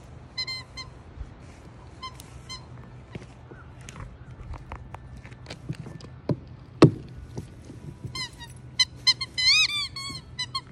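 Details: Jasper, a Siberian Husky available for adoption from Pet Harbor Rescue, squeaks alongside foster siblings: short high whistled squeaks in bursts near the start and a cluster of rising squeaks near the end, with faint thumps and background hum between.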